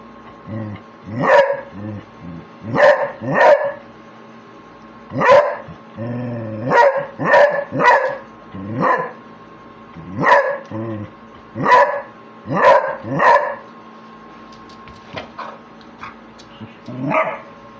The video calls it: Beagle (Basset Hound mix) barking 5